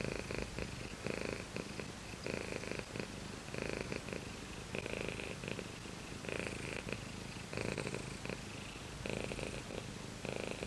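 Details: Shiro the cat purrs steadily, low buzzing rumble pulsing with each breath, louder swells repeating every second or so over the whole stretch, quiet room background.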